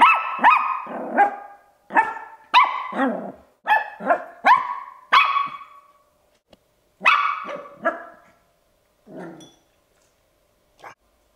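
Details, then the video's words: Ten-week-old Bichon Frise puppy Andre barks to invite play. A rapid run of high, sharp yaps comes about every half second for six seconds, then a pause, then a few more barks that trail off more softly. "Bichon Frise Barking Puppy Barking, 10 Weeks Old, he wants to Play"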